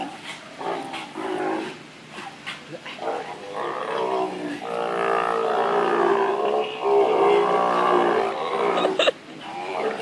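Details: Sea lion at the Vancouver Aquarium giving a long, nearly continuous run of loud, harmonic, honking and moaning notes that rise and swell in strength through the second half, with brief rough, growly breaks between phrases.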